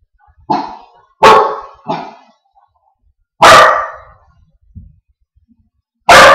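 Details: Mr Duke, a Wheaten mix dog, barking indoors at his own reflection in a mirror: four loud, broad, harsh barks spaced irregularly over six seconds, with a faint low grunt between them.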